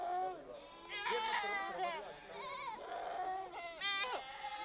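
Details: Mixed herd of Changthangi goats and sheep in the Himalaya calling together: quavering, wobbling bleats that overlap almost without break across the short stretch.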